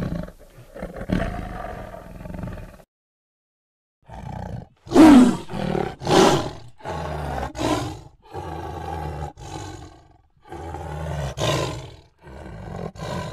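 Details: Tiger roaring in a series of short, harsh, deep bursts with rough harmonic overtones, several loud peaks about a second apart, separated by abrupt stretches of dead silence.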